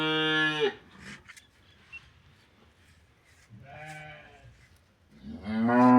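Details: During removal of swallowed metal from its stomach, a cow gives repeated moos: one ending at the start, a softer lowing in the middle, and a loud rising moo at the close, with quiet background between.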